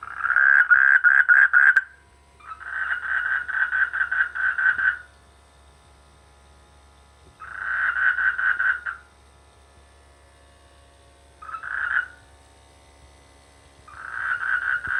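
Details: Frogs croaking in village rice fields during the rainy season: buzzy, pulsed croak bouts of one to three seconds, repeated five times with short quiet gaps, steady mid-pitched rattling texture.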